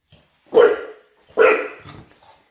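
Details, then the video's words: Dog of the Patterdale, fell terrier, smooth-coated Lakeland or Estacado type playing: two loud, sharp barks about a second apart, each with a trailing rasp, and a soft grunt after. "PLAYING PATTERDALE FELL TERRIERS SMOOTH COATED LAKELAND DOGS"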